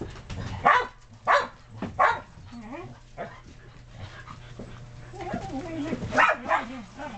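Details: Shetland Sheepdogs and puppies playing in the snow, excited dogs romping between yard and deck; sharp barks at irregular intervals mixed with whining, rising and falling yelps and a person talking.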